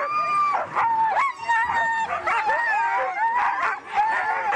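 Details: Siberian huskies at a race in East Anglia, howling and yelping together: one steady mid-pitched howl holds then drops, while other dogs add bending, wavering howls and sharp yips.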